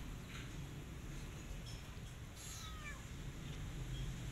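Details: Cat beside a disabled mother cat caring for her five kittens, one an adopted kitten named Coco; a single soft meow falls in pitch midway, over a steady low hum and faint high insect-like chirping.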